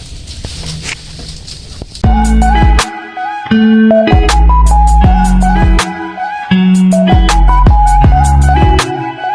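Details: Plucked-string music with steady drum beats and bright repeated chords starting after about two seconds, preceded by a quieter hissy intro with faint voices; no animal sounds are heard.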